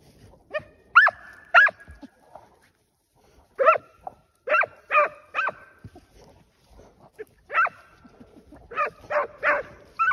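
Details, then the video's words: Tracking dogs on a wild boar hunt, pushing boar out of cover in rural terrain: sharp repeated barks in clustered bursts, two early, then groups of three to five with short pauses, one hound dominant, faint rustling between. "Echando jabali con perros de rastro"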